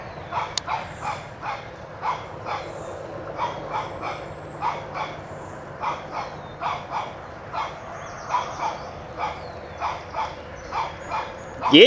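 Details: Barking from Toby, a one-year-old Shih Tzu puppy, chasing a whitetail deer from his yard, sounds fainter and more distant; light, evenly spaced yaps repeat about twice a second over steady low hum, with a louder noise at the end.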